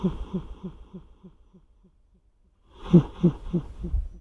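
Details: Odd-eyed domestic cat snoring with an echo effect added. A low pulsed snore repeats as fading echoes about three times a second and dies away. A louder snore starts near three seconds, followed by its own trail of echoes.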